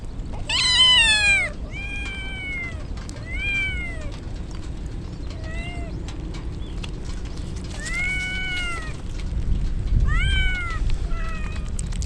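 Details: Stray kittens wet from rain ahead of a typhoon cry loudly: a shrill opening wail, then repeated shorter arched meows from several kittens, roughly every second, with heavy rain noise beneath.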